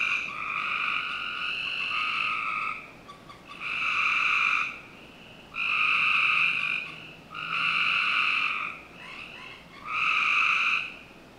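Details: Summer-night frog chorus from a backyard in Northern Virginia, with loud sustained trills in bursts about two seconds long, separated by short lulls and coming roughly every two seconds, other frogs softly overlapping.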